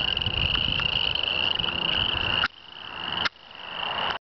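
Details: Chorus of male tree frogs calling females in a grassy swamp ditch; a high continuous trill that cuts out abruptly twice, then resumes more faintly, ending in silence.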